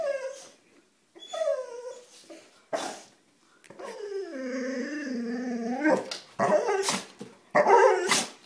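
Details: Golden retriever and labrador mix dog, happy and excited, greeting a visitor arriving home indoors; drawn-out wavering whines and yelps sliding down in pitch, with a long quavering whine in the middle and short sharp noises between.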